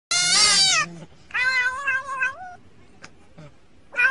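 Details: Cat from a funny cat compilation giving a loud, bright, harmonic meow under a second long, then a longer meow that dips and rises, a faint click, and the start of another meow at the end.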